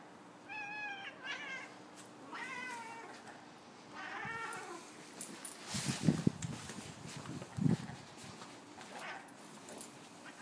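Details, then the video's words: Savannah cat chattering at a seagull: several short, stuttering, warbly bursts with stacked overtones across the first five seconds, followed by louder thumps and rustling handling noises. "Savannah Cat Chattering at Seagull"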